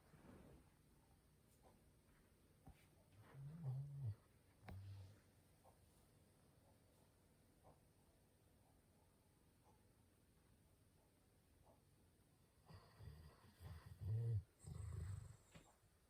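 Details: Sleeping chocolate Labrador Retriever snoring loudly indoors: two bursts of deep, low rumbling breaths around four seconds and again from thirteen to fifteen seconds, with quiet room hiss between.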